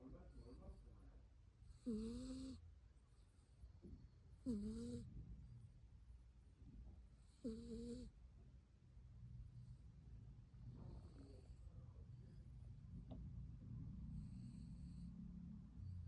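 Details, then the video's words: Sleeping pet cat named Byeol snoring at home: soft low rumbling breaths, with several short voiced sounds near two, four and a half and seven and a half seconds, and quieter breathing continuing after. "고양이 코골이"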